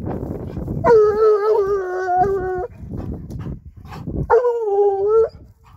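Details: Griffon Nivernais hound baying while following the night-old trail of a wild boar: two long, rich, howling bays at a steady mid pitch, the first lasting about two seconds with a slight waver, the second shorter after a pause; faint rustling between.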